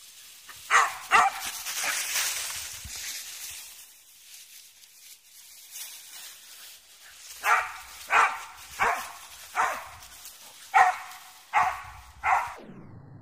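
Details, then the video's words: Soft-coated Wheaten Terriers playing in a wood, giving two early barks and then a run of about seven sharp barks spaced under a second apart, with quiet rustling outdoors between them. "Wheaten Terrier spielen im Wald"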